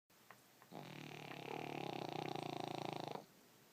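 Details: Boston Terrier snoring while dreaming indoors; one long, rattling, buzzy snore lasting over two seconds, built from rapid pulses that rise in loudness before stopping abruptly, with two faint clicks before it.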